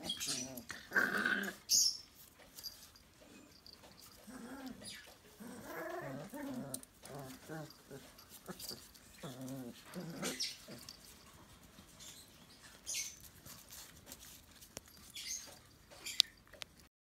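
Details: Two-month-old Xoloitzcuintle puppies wrestling to prove who is strongest, giving low rumbling growls in bursts from about four to ten seconds, with a few sharp yips and scuffling noises between them.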